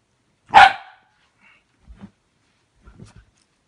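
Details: Female Shiba Inu indoors, playfully protective of her owner, giving one sharp bark to keep a person off the bed, followed by quiet rustling and faint low sounds.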